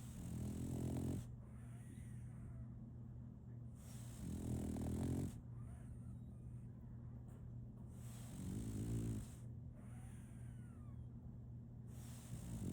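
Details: A sleeping female French Bulldog snoring: three long, low, rasping inhalations, each about a second, separated by quieter breathing pauses, with a steady low hum in the background.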